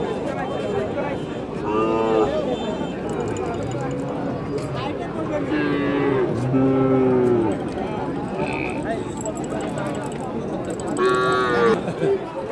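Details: Bull cattle at the Chaubaria cattle market in Naogaon, recorded 1 February 2019: several drawn-out, harmonic moos near two, six and eleven seconds, rising over a steady din of market chatter and bargaining voices.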